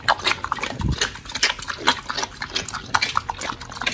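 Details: Raw-fed pit bulls Oli and Nommy tearing into giant white snapper: quick wet smacking bites and sharp clicks every fraction of a second, with a low snuffling thump near the start.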